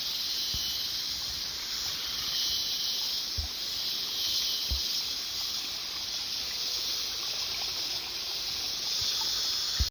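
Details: Cicadas in the mountains, a dense, unbroken high-pitched buzzing chorus holding steady without pauses, with a few faint low knocks in the background.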